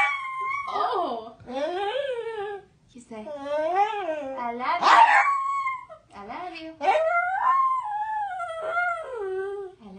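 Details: Pet pug singing Happy Birthday with a woman, howling in long sliding, wavering tones that swoop up and down, nearly continuous for ten seconds, the human singing and music mixed in.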